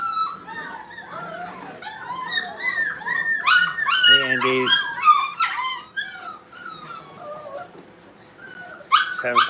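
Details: Several Brittany puppies playing together in a kennel room, filling the air with dense overlapping squeaky yips, whines and short barks, a louder scrappy burst midway, while a person talks to them.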